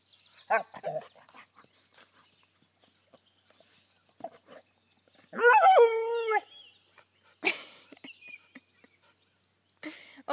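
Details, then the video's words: Opal, a Vizsla, "speaking" while playing with a firework shell and acting silly: a drawn-out, wavering, whiny howl lasting about a second, with short grunts and a sharp yelp around it and faint bird chirps behind. "Opal the Vizsla "speaking""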